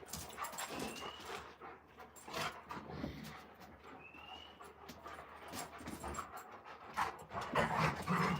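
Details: Two Malamute dogs, Moose and Raven, at play outdoors: fast, breathy panting pulses, about four a second, loud and irregular, a couple of brief whistled bird notes and human voices in the background.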